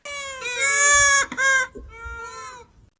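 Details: Ring-tailed lemur (Lemur catta) gives two drawn-out, cat-like mewing wails. The first is long and wavering, the second shorter and slightly falling, with a brief gap between; the species is said to make soft chirps and alarm calls.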